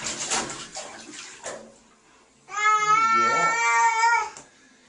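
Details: Upset male cat during a bath: splashing water at first, then a loud, steady, drawn-out yowl lasting nearly two seconds before fading out.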